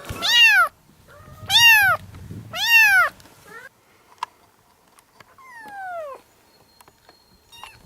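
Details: Kittens from a group of seven meowing: three strong, arched meows in close succession, then a softer, falling meow after a quiet pause with faint clicks.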